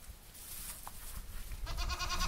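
A goat gives a harsh, wavering bleat after a moment of low background rumble.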